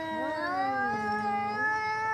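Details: Two cats fighting. A steady, tonal yowl holds its pitch, with a lower voice sliding down underneath it.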